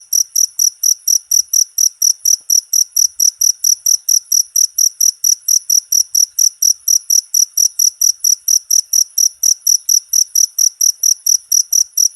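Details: Cricket chirping, used as a tutor recording for training songbirds; loud, high shrill pulses repeated steadily about twice a second through the whole stretch, with a faint low tone in the background.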